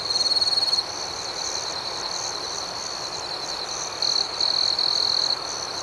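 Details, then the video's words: Night cricket chorus, dense and high-pitched, with rapid rhythmic chirps pulsing over a constant shrill drone. Louder close trills open the stretch and return near its end. "Soothing Cricket Sounds"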